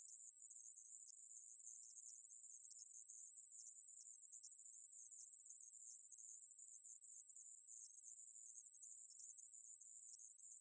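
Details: Conehead katydid from the National Institute of Biological Resources collection, 2020: an unbroken, very high, hissing buzz that holds steady at one pitch for the whole stretch, with no pauses and no other sounds.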